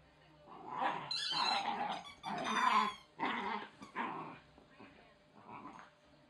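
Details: Oscar the Wire Fox Terrier pup wrestles his chicken toy in a small room, snarling growls rising in loud bursts, mixed with high squeals from the squeaky toy, fading toward the end.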